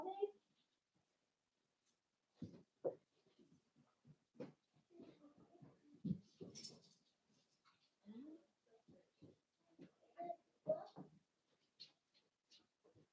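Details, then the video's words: Blenheim Cavalier King Charles Spaniel puppies, a litter of five born on New Year's, playing with their mother Paris in an indoor puppy pen; short scattered growls, grunts and yips in irregular bursts, with faint voices underneath. "Cavalier Puppies Play with Mama"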